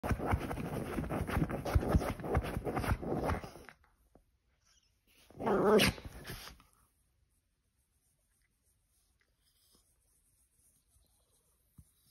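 A Pomeranian growls roughly in low, rumbling bursts, with scratching noises mixed in.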